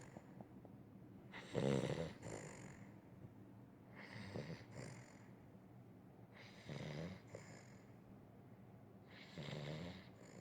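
A sleeping Weimaraner snores in rough, rattling breaths that come back every two to three seconds.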